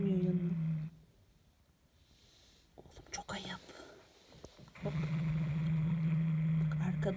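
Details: Hulusi, a pet cat, growls indoors while guarding its toy as another cat approaches: a low, steady, droning rumble at the start, a gap filled with a woman's speech, then the growl resumes.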